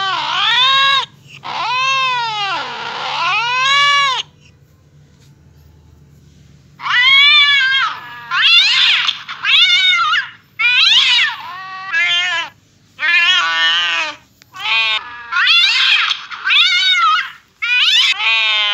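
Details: Domestic cat reacting to hearing a cat fight, wailing yowls with rising and falling harmonic tones, one long drawn-out howl, then a pause, then a string of shorter wavering yowls roughly every second, loud and close.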